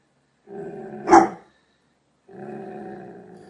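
A Doberman Pinscher growls low, breaks into one sharp bark, then resumes a steady rumbling growl.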